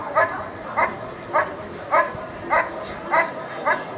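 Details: Dog barking during a protection work trial at NIAK 2014: sharp, harmonic barks repeated steadily about every 0.6 seconds, seven in a row, over a faint background hum.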